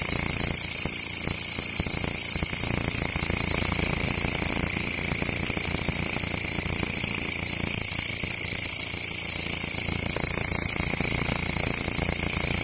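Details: Grasshoppers in a local forest give a steady, shrill, high-pitched buzzing that runs on without a break.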